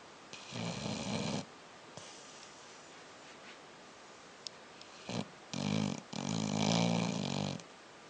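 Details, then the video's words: Dog snoring while asleep at the end of the day: rough, raspy breathing bursts of about a second each, with quieter gaps between them and a steady background hiss. "Snoring Dog"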